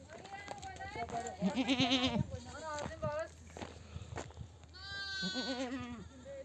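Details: Mother sheep in a nomadic flock returning from desert pasture bleat to call their lambs to nurse. Several overlapping, quavering, tremulous bleats rise and fall, two loud bursts around the middle and end, over low rumbling background noise.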